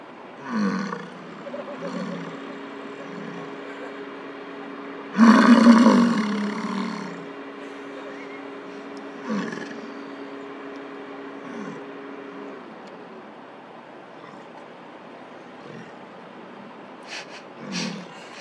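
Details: American bison bull in Lamar Valley, Yellowstone National Park, during the rut, vocal while courting a nearby female beside a car in a bison jam; one loud rough roar near the middle, with fainter low grunts before and after and a steady engine hum.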